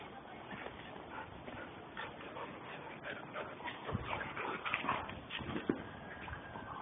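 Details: German Shepherds Captain and Samantha in rough play, giving faint whines and short yelps with scattered thuds over a steady background hiss.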